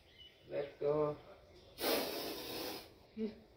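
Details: Spectacled cobra during a rescue by a snake rescuer in Bangalore South, later released: one broad, airy hiss lasting about a second, set between short snatches of human speech before and after.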